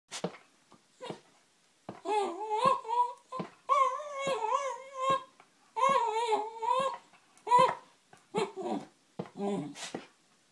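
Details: Female Wire Fox Terrier indoors in a small room, wanting her owner to play: drawn-out wavering whines and yodelling moans in bursts of one to two seconds, with short sharp yips between them.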